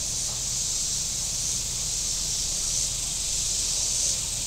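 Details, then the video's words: Shore cicadas at Table Rock Lake, southern Missouri, on a very warm day: an unbroken high, hissing buzz with little rise and fall, laid over a faint low drone of boats. "Boating Lake Sounds and Cicadas"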